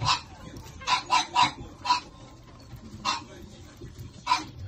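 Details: Shih Tzu puppies from a small-sized litter of two males and two females give short, high squeaky yips, some in quick runs of three and others singly, with pauses between them. Low room murmur sits underneath.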